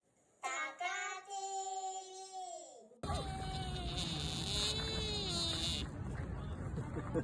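A deer gives long, nasal, human-like wailing calls that hold steady and then dip slightly at the end.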